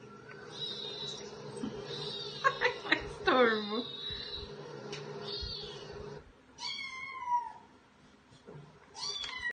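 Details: Household cats, one of two, meowing with rising-falling whines in the second half while a person calls to them and talks in the first part; a final short meow closes the passage.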